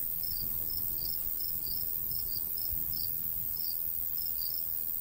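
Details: High pulsed chirping of crickets in a summertime wheat field landscape, light breeze; chirps come in loose pairs and runs against a constant hiss and gentle low wind.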